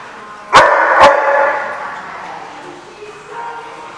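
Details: Dog at The Barking Lot on 30 October 2015 gives two sharp, loud barks about half a second apart, followed by a lingering ringing tail and soft background room noise.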